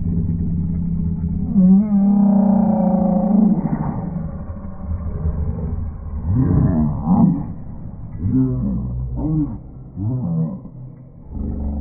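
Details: Golden Labrador Retriever getting a ten-hand belly rub, played back in slow motion: drawn-out, low, wavering groans that rise and fall in long arcs, likened to Chewbacca, with a steadier low tone near the start.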